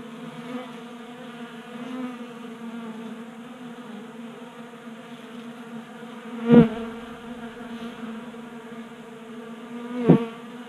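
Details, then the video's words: Honey bees at a tabletop 3D printed feeder in a Colorado garage in January; soft steady buzzing drone broken by two sharp clicks or taps around six and ten seconds. "45 Minutes of Honey Bees Feasting from 3D Printed Bee Feeder ASMR"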